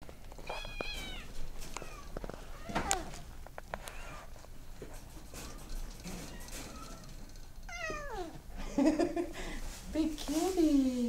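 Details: Maine Coon cat indoors in a small room, giving several harmonic meows, some falling and some rising then falling, spaced over the clip and louder toward the end, with a person talking to it between calls.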